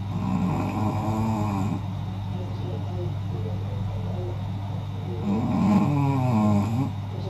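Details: Naomi, a senior Shih Tzu, snoring loudly, likened to a wild beast: rough, droning snore breaths with wavering tonal swells early and again around five to seven seconds, over a steady low hum.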